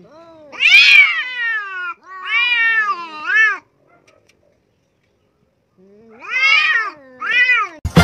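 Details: Domestic cat meowing loudly and close up: two long, drawn-out meows with a bending, wavering pitch, followed by a quieter pause of about two seconds, then two more meows. A sharp knock sounds at the very end.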